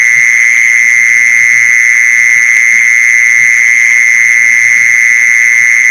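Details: Continuous mole cricket trill used as a lure for mole crickets: an even, shrill, uninterrupted buzzing note with a thin higher overtone, and quiet low thumps in the background.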